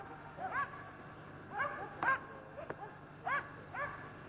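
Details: Karelian Bear Dog barking while hunting a European brown bear; a few fairly faint, scattered barks with bright harmonic, slightly rising tones, spaced irregularly about a second apart over low background hum.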